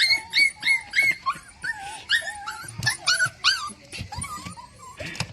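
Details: Hungry puppies whimpering; overlapping high, thin whines and yips with wavering, rising and falling pitch, packed closely in a continuous chorus.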